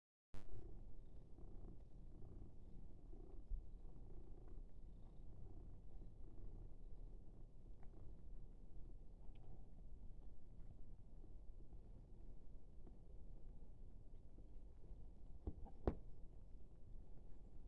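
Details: Munchkin cat enjoying fresh catnip purrs in a steady, deep, continuous rumble that runs throughout, broken only by a few faint clicks.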